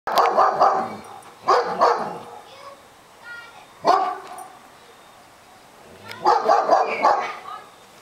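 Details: Dogs barking in February 2008: loud, rough barks come in quick clusters of three or four near the start, again mid-clip and toward the end, with a single sharp bark between and a person's voice nearby.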